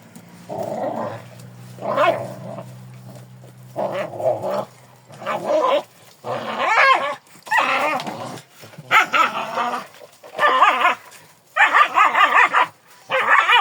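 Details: Kangal dog giving a string of short, yelping barks in bursts roughly every second, some drawn into whiny, wavering tones; a low steady hum runs underneath during the first few seconds.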